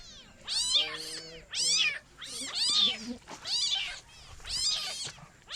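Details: Kitten mewing in a rapid series of about five high, thin, harmonic-rich meows, each arching up then down and spaced roughly a second apart, some doubled or overlapping, over a faint low background hum.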